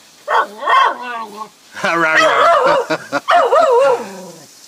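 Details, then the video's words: Excited Jack Russell x beagle cross barking at a full-bred beagle down the road: wavering, yodelling bays and yelps in quick bursts, with a person's voice calling to the dog. "Jack Russell x Beagle barking at full breed Beagle"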